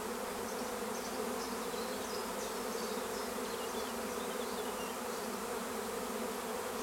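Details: Steady droning hum of a honeybee swarm at Longué-Jumelles, with scattered faint bird chirps running over the continuous buzz.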